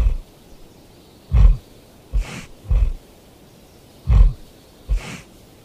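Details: Asiatic black bear (Ursus thibetanus), grunts.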